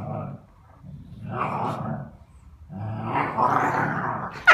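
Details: Dog growling during play, two low rumbling bursts separated by a short pause, ending with a brief sharp high sound.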